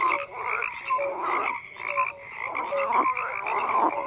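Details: A frog chorus of harsh, buzzy croaks in loose bursts, with brief tonal chirps poking above the rasp about once a second.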